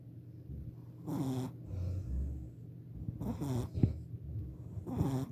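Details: A sleeping four-month-old Shih Tzu puppy snoring: rough breathy snores about every two seconds over a low steady hum.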